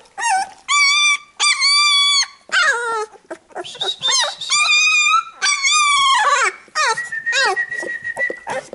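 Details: Labrador Retriever puppies whining as the mother cleans them after a nursing session; long, clear, high-pitched squeals held steady for up to a second, some bending down at the end, one thin drawn-out whine closing the sequence.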